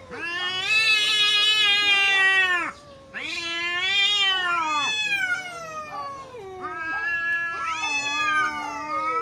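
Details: During a fierce fight between two neighbour cats, loud high screaming yowls in long sustained bursts of two to three seconds, sliding downward at their ends, with a brief silent gap between the first two.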